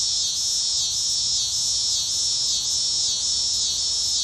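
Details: Cicada. A cicada produces an intense, continuous shrill buzz high in pitch. The drone swells slightly in regular pulses roughly every half second, with no other sounds standing out.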